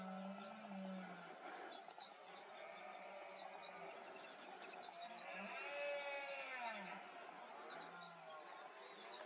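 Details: A large red deer stag roars ceaselessly during the rut, deep harsh groans rising and falling in long bursts, a rutting display of the breeding season.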